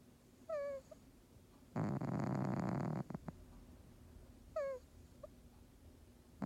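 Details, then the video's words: Bob, a house cat, snores loudly: one long, rough, rasping breath sits between brief, thin, whistling nasal squeaks in an otherwise quiet room. "Our cat Bob snores so loud!"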